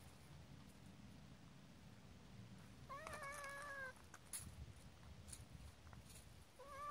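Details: Cat irritated by a pestering puppy: one drawn-out meow lasting about a second, gently wavering, then the start of another at the end, over low rumbling background noise.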